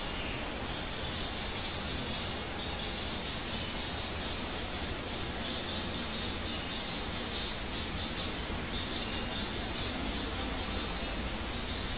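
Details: Steady broadband rushing noise fills the whole stretch, with no animal sound.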